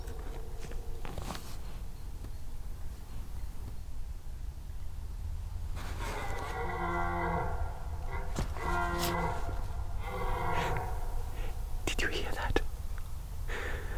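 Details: A red deer stag gives deep, drawn-out, rasping roars in a Danish woodland clearing during the September rutting season, in the evening; the stags are shy and were approached in stealth.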